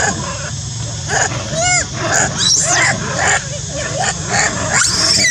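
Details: Loud, frightening screaming from a monkey: rapid, rough bursts of squealing, several arched shrill squeaks and harsh cries, repeated about twice a second.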